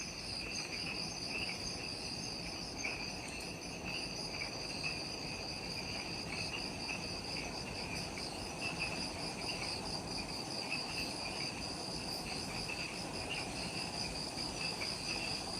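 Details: Just after sunset in the Okinawan forest of Ishigaki Island, Japan, insects keep up an unbroken high-pitched ringing chorus, bands of trills pulsing gently, steady throughout with a low murmur beneath.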